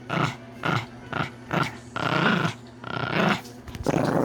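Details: Snoring from a sleeping male Pomeranian born in October 2019: quick rasping snorts repeating about twice a second, one longer rattling breath in the middle, then more short gravelly pulses.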